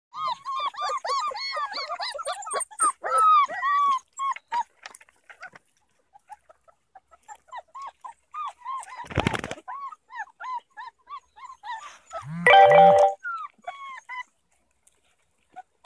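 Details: Black-and-tan Beauceron puppies at their first meeting with Manchester Terrier puppies: a busy chorus of high, arched whining squeals, overlapping in quick runs, thinning after four seconds, with two short rough yelps near the middle and end.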